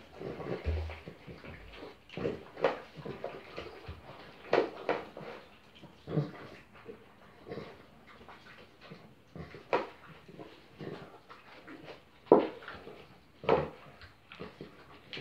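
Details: Two newborn French Bulldog puppies on their first day of life, indoors: short soft whimpers and squeaky grunts in irregular bursts every second or two, with quiet shuffling between calls.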